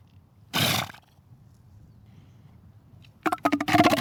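An elephant seal gives a harsh burst, then a rapid run of guttural, throbbing pulses.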